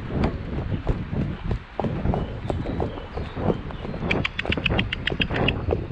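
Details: On the 2 May drive to collect a new boarder from Falkendorf, the Shire horse De Goot Damon clops along steadily. Hoofbeats sound over low road rumble, with a bright rapid rattling or jingling near the end.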